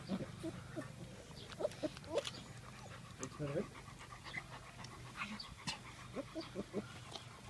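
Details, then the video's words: Lucy, a Bernese Mountain Dog mother, with her puppies: brief whimpers and soft panting bursts recur through seven seconds, mixed with German conversation and a low steady hum. "Lucy and her Puppies - Bernese Mountain Dog"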